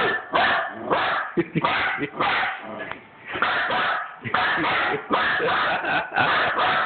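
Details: A female pet dog barking frantically at a printer while documents are being printed. Rapid, harsh, noisy barks come in dense bursts of several, with short pauses between volleys.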